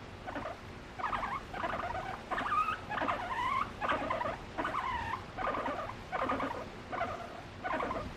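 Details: Affectionate pet guinea pig expressing emotions toward its owner, voicing a string of squeaky, wavering whistle-like notes, some rising and falling, repeated roughly every half second to second without background music.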